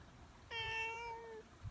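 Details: Cat met during a mountain walk gives a single steady, drawn-out meow lasting about a second, rich in overtones and fairly low in pitch, against quiet background noise.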